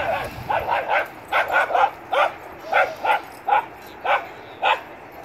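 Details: Four-month-old Schnauzer puppy Dietz at a dog park, giving about a dozen shrill, clipped yaps, some doubled, spaced roughly every half second, with outdoor hiss behind.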